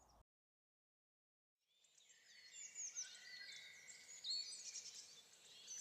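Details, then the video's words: In the evening, as it gets later, spring peepers call in a dense chorus of high, thin, rising peeps that overlap continuously. "It's getting later, and the spring peepers are out making some noise. I don't know if you can hear that. Probably can."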